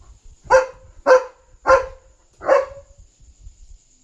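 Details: A German Shepherd on night guard duty gives four deep, harsh barks, spaced a little over half a second apart, alerting to a dog outside and protecting his territory.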